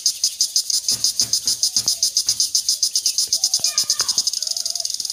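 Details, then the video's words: True crickets in daylight in a quiet rural Bangladeshi village: a high, steady pulsed chirping, about six pulses a second, runs throughout and speeds up near the end, with faint bird notes behind it. "আসল ঝিঁঝিঁ পোকার প্রাকৃতিক শব্দ - Natural Sound of True Crickets in Daylight"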